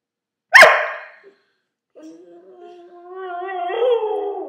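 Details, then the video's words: A 2-year-old female purebred Siberian husky "sings", giving one sharp bark, then a long, wavering, tuneful howl that lifts in pitch. "Denali our husky singing"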